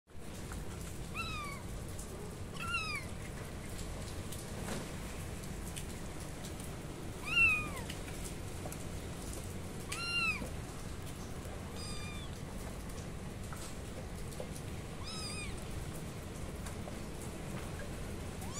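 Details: Kittens meowing loudly, a series of high, short arched meows with bright harmonics, some doubled, repeated irregularly about every two to three seconds over a steady low background hiss.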